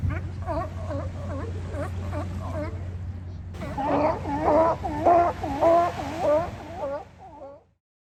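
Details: Barking from sea lions lounging at Kiddie Beach, Oxnard, California: regular raspy barks, softer at first over a steady low drone, then louder and denser midway before fading out.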